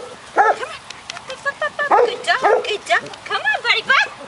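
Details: Six-week-old golden retriever puppies from a May 2013 litter, playing outside on agility equipment: short high yips and barks in quick uneven bursts, several overlapping, with a person's voice encouraging them.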